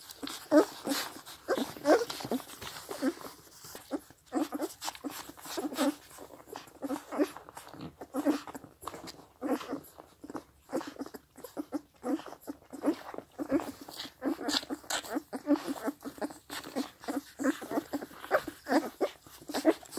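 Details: Seven 16-day-old Scottish Deerhound puppies suckle from their mother, with soft squeaks, whimpers and busy smacking and slurping sounds, plus slight background noise.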